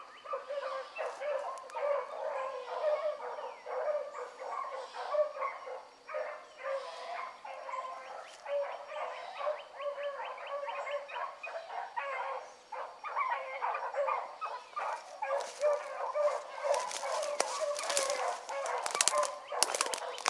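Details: Several hound pups, among them Ringo, Mingo and Choco, baying steadily as they run a rabbit in the morning, overlapping voices in a constant chorus, with loud crackling and rustling close by toward the end.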